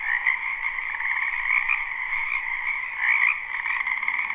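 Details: Croaking frogs crowd a wetland behind a house in spring, recorded live: a thick, even wall of rapid trills with a few sharper, higher croaks rising above the mass near the start and just past three seconds.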